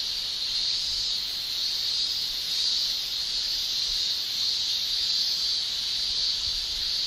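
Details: Male cicadas in a Japanese summer shrilling with their tymbals: one continuous, piercing high-pitched drone, steady in pitch and loudness throughout, with no other clear sounds.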